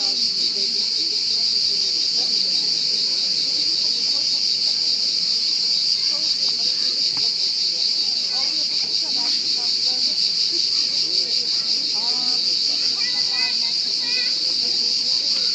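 A cricket keeps up a continuous, high-pitched trill, an even ringing buzz that holds without a break. Quiet human voices murmur in the background.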